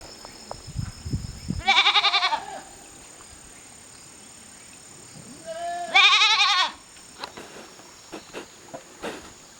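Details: Goat kid lost from its herd on a mountain-side pasture at a goat farm in Japan, 19 September 2023: two loud quavering bleats about four seconds apart, with soft rustling and faint clicks between them.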